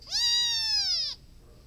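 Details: Domestic cat giving one clear, drawn-out meow of just over a second, steady in pitch with a slight fall at the end and rich in overtones, against a quiet background.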